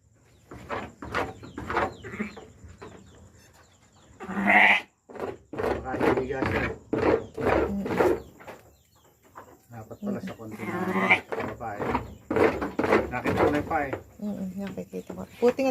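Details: Sheep giving birth, with the lamb's feet already showing. Several loud, wavering bleats break through, the strongest near the middle and another later, under almost constant Tagalog conversation from the people attending the birth.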